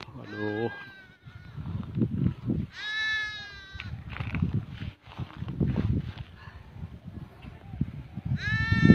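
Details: Kid goat trapped in cracked ground during a rescue by hunters; three short nasal bleats at the start, around three seconds and at the end, over heavy low rumbling, handling noise and voices.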